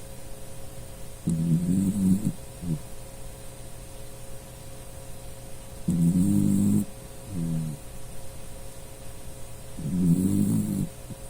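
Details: Sleeping dachshund Puchi snoring loudly indoors; deep, drawn-out rumbling snores about a second long come roughly every four seconds, with softer short breaths between, over a faint steady hum.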